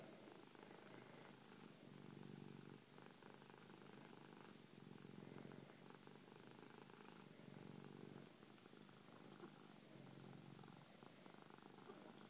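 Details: Cookie, a three-year-old male Persian cat lying on his owner's chest, purring loudly: a soft low rumbling hum that swells and fades in slow breathing cycles about every two to three seconds, recorded close up indoors.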